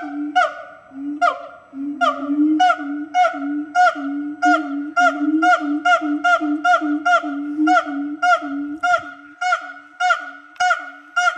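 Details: Several siamang gibbons at Fota Wildlife Park announce their presence with loud, nasal, honking hoots in a rapid, accelerating series; their calls can carry up to 2 miles.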